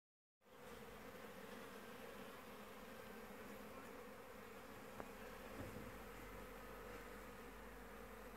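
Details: A swarm of bees in South Africa produces a steady, dense droning buzz with a low hum underneath, unbroken for eight seconds, faint and even in loudness.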